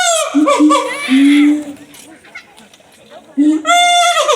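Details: Siamang at Higashiyama Zoo: long, steady, hooting tones with rich harmonics, held for about a second each. A higher, bright rising note at the start and end of the clip.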